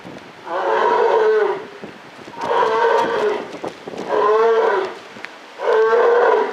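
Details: Polar bear at Maruyama Zoo, Japan, in October 2013: four deep, drawn-out moaning calls, each about a second long, coming every one and a half seconds over steady background hiss.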